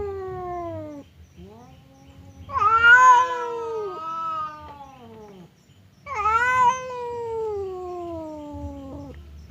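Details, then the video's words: Two domestic cats, the fierce Temon and the quiet Lelo, face off across a divider as if about to fight; long harmonic yowls slide downward, one breaking briefly near the start, then a second loud wavering yowl after a pause. "SUARA KUCING BERANTEM"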